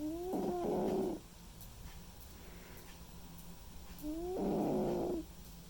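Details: A sleeping white and ginger male cat snores, two drawn-out rough breaths about four seconds apart, each starting with a slight rising whistle, quiet in between.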